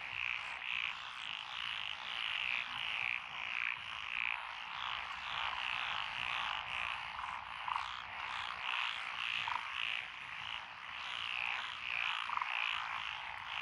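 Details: Lotus paddy frogs of Echizen, Fukui, recorded on 12 June 2021, including tree, pond and wrinkled frogs. A long, dense wall of pulsing croaks rises and falls in waves, dotted with occasional lower single clucks.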